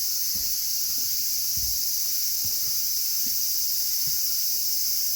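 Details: Cicadas calling without pause on a hot August day, the hottest season, during a solo walk around Sanjung Lake; a dense, steady high-pitched buzz fills the clip while soft low thuds of footsteps pass underneath.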